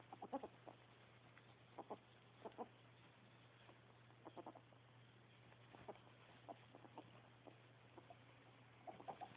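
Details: Happy pet ferret, with Percy nearby, recorded indoors on a phone: quiet clusters of soft clucking pulses in short bursts a second or two apart, over a steady low electrical hum.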